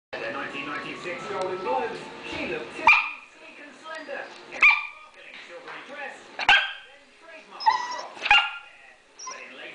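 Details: Female dog barking to beg for bacon and eggs while her owner eats: single sharp, loud barks every second or two, between stretches of a person talking and softer whining sounds.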